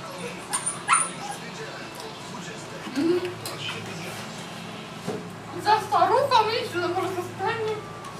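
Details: Seven-week-old Tibetan Mastiff puppy at Himaldog Kennel giving short, high, bending whimpers and yips in scattered bursts, clustered near the end, over a steady low hum, with people speaking Polish throughout.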